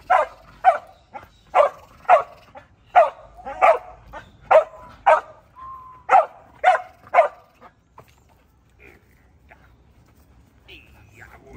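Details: Border Collie during protection training giving a series of sharp, evenly spaced barks for about seven seconds, then falling quiet except for a whine and faint background sounds.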